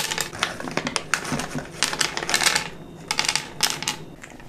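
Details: A kitten eats dry and wet cat food, crunching in loud, sharp bursts of clicks separated by brief pauses, close up in a quiet room.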